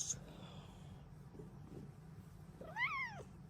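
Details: Female Bengal cat in a happy morning mood gives one short arched meow that rises then drops, after a quiet stretch with faint background hum.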